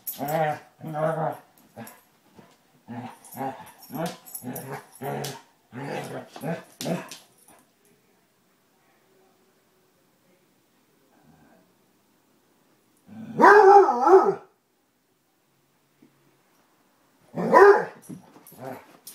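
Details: Tracker and puppy Ranger, Basset Hounds at play, trade short growly grunts for several seconds, then a long quiet pause before two loud howling barks.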